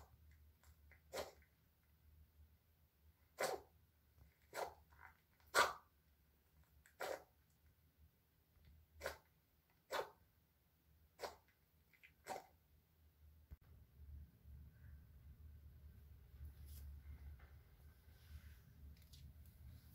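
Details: Male Pomeranian born May 2020, ill for two months, kept as a pet indoors: about nine short, sharp sneezes scattered through the first thirteen seconds, then quiet with a low background hum.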